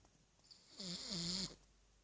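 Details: Single snoring breath from a sleeping three-year-old pug named Gorda, tongue hanging out; a hissy rasp with a wavering, nasal tonal whine underneath, lasting under a second in a quiet indoor setting.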